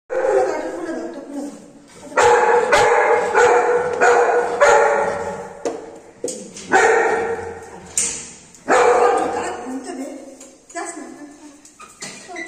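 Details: Anna, a pet Golden Retriever, calls while waiting for her mom to come home. Her drawn-out, whining, yowl-like cries come in uneven bursts of one to two seconds, separated by brief pauses, with some sharper bark-like notes near the end.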